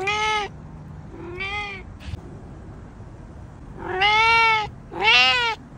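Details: Pet cat giving a series of loud, clear meows with rich harmonics; two shorter calls first, then two long, strong, slightly rising meows close together near the end.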